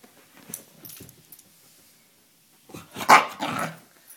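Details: A Pembroke Welsh Corgi, one of two dogs reacting to seeing itself on a FaceTime call on an iPhone, gives a few soft grumbles, then a burst of loud, rough barks.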